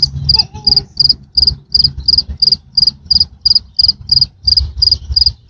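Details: A big cricket chirps loudly and steadily, short high trills repeating about three times a second.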